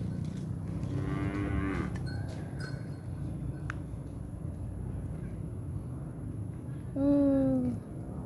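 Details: Cattle from a village cattle-cart outing in Malangsari during Ramadan: two low, harmonic moos, a shorter one around the first and second seconds and a louder, falling moo near the end, over steady background hum and faint distant voices.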